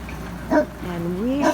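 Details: Phantom, a Newfoundland dog, gives a single deep, gruff bark then a drawn-out rising vocal tone, barking at a snow removal truck after a winter storm in the Laurentian area near Montreal.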